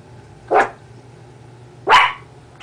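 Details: Female blue heeler–chihuahua mix dog discovering her reflection, giving two sharp, mid-pitched barks about one and a half seconds apart in a quiet room with a low hum.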